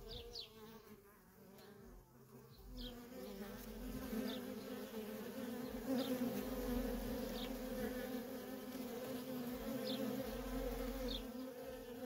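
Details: Honey bee workers in nonstop traffic at a feral colony: a dense, steady droning hum with layered buzzing overtones, while faint short high chirps drop in pitch every couple of seconds and a low rumble swells beneath.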